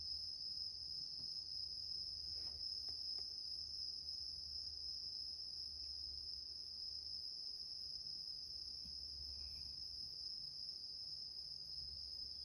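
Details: Bell cricket singing indoors while a rescued male cat sleeps on a grandmother's bed; a steady, high, ringing trill holds without a break throughout, with faint soft thumps and low room hum beneath.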